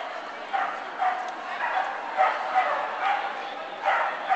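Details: Bree romping with Vinny at the Fox Valley agility trial: short, bright barks and yips burst out about every half second against a steady background of talking and indoor hubbub.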